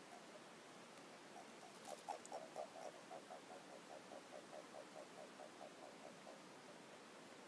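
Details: Japanese common toads gathering at a garden pond at night in breeding season, battling to pair up, giving a soft, rapid series of low, hollow clucking notes.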